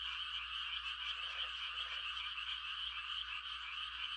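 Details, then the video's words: A rural night in rice-planting season with a dense high chorus of frogs giving mating calls, a faint lower croak near the start, over a low steady hum. "The sound of frogs on a quiet country night"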